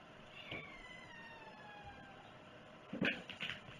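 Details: Domestic cat at breakfast on 11 August 2018, giving one drawn-out meow that slides gently downward in pitch over about two seconds, followed by brief clattering and knocking sounds.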